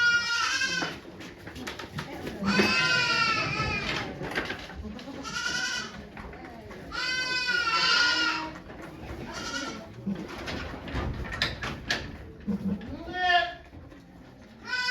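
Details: Okayu the goat giving birth at Yoshigake farm on 3 May 2023 as volunteers look on: several tremulous bleats early on, fading into softer calls, rustling and quiet human voices.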